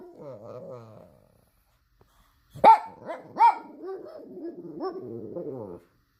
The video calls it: Pug dog barking/パグ犬吠える